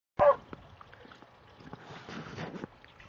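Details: Border Collie barking while playing in sprinklers with another Border Collie, Starbuck and Trixie; one sharp loud bark at the start, then quiet rustling and faint splashing.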